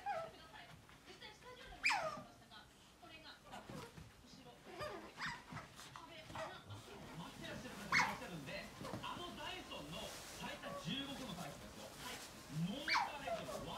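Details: Pet otter at home stalking the owner's mother, letting out three shrill, falling squeaks widely spaced across the stretch, with softer murmuring sounds and background room noise in between.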